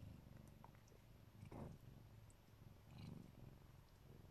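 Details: Low rhythmic purring from a Siberian Neva Masquerade mother cat lovingly protecting her kittens, breath-paced surges of rumble with a couple of soft rustling touches over the top.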